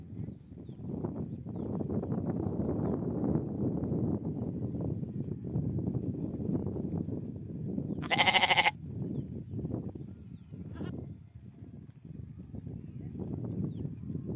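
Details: Sheep on a farm: a long stretch of dense shuffling and chewing flock noise, broken midway by one short, bright bleat and a brief fainter call soon after.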